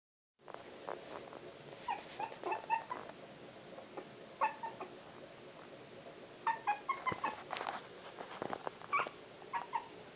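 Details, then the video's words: Four-week-old Pomeranian puppies making faint, high squeaks and short whimpers in scattered bursts over a steady background hiss, with quick clusters of small yelps coming every few seconds. "Pomeranians 4 weeks old"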